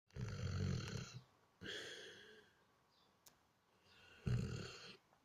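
A Weimaraner snores in deep, rumbling bursts, each breath a rough low rattle about a second long.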